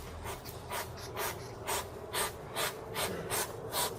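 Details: A hedgehog puffs angrily, giving short breathy snorts about twice a second, the sound it makes when angry.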